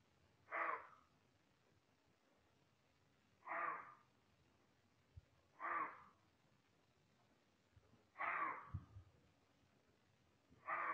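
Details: An agitated roe deer, very close and likely smelling a human, gives hoarse "beoff" warning barks, short rasping bursts every two to three seconds, alerting other deer to a threat.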